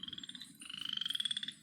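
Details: Chorus frog, a tiny frog, calling with a rasping trill like a fingernail run along the teeth of a comb: rapid pulses, a short trill then a longer rising one about a second long.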